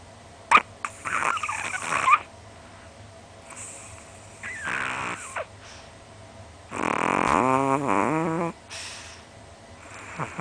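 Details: Sleeping Chihuahua, a small pet dog only 20 cm tall, tongue hanging out, snoring loudly in bed: ragged rasping snores early on, a wheezy burst midway, then a long buzzy, tonal snort near the end over faint room hum.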